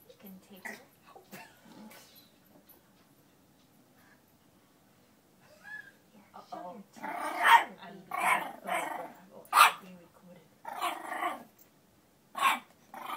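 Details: An 8-week-old female French Bulldog puppy confronts her reflection. Quiet scattered sounds and a voice come first, then a run of loud, rough barks and growls in the second half.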